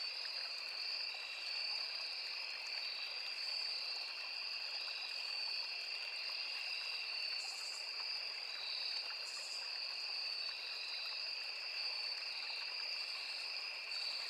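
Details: Insect chorus of crickets, cicadas and others in a forest near a small river: unbroken high-pitched trilling in two steady tones, two short buzzy flares mid-clip, and continuous babbling stream noise underneath.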